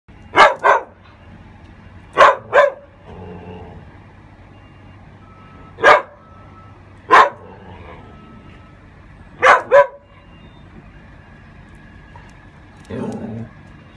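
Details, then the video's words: A Saluki/whippet cross barking at a gargoyle: sharp barks in close pairs around 0.5, 2.3 and 9.6 seconds, with single barks near 6 and 7 seconds, separated by quiet gaps with a faint electronic tone and low background hum. "Saluki/whippet Walter barking at a gargoyle"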